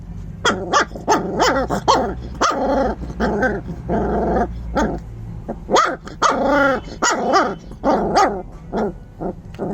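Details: An angry puppy yaps and barks repeatedly, more than one bark a second, the shrill rasping calls mixed with growly, drawn-out notes over a steady low background hum.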